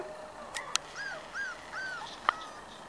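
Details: Corgi puppies, five weeks old, of the Sugarbaby litter: four arched, high whimpers in quick succession, each rising then falling, with sharp clicks before and after.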